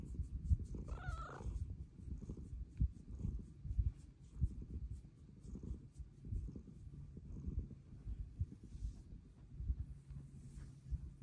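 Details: Domestic cat, female, purring steadily and loudly while asking for petting; one brief rising-falling meow near the start, then only the deep, pulsing purr for the rest.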